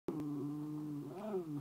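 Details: Archie the dog, 'talking' to his owner, holds a drawn-out tonal moan that stays level, then bends upward and back down near its end. Laughter follows.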